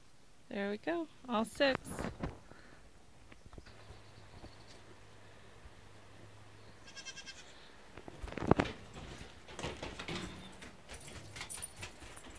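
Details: Nigerian Dwarf goat kids on their first day, several quick wavering bleats in the first two seconds, then quieter stretches with a voice talking and faint music.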